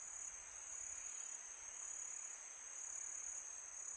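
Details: Crickets chirping on a peaceful summer night: a steady, unbroken high-pitched trill holds one shrill tone throughout, over a soft breathy hiss of wind.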